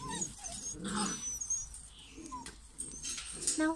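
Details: German Pinscher puppies from a 2022 litter in the UK, giving brief high squeaks and whimpers scattered through the clip, with rustling and movement noises and a faint human voice in the background.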